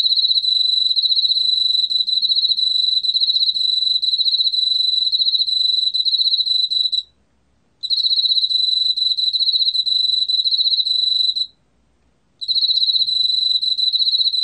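Emma field cricket singing a clear, high, pure-toned trill in long runs broken by brief pauses.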